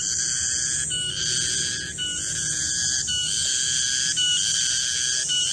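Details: Midday garden garengpung cicada song, a piercing, steady whistled drone that hitches and shifts in pitch roughly once a second, with a faint rising sweep near the start.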